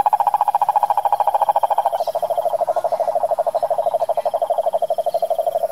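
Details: Cane toad, wild, in Brazil's Pantanal sertanejo, calling with a fast, even, low-pitched pulsed trill held throughout, dropping slightly in pitch midway as another trilling toad takes over.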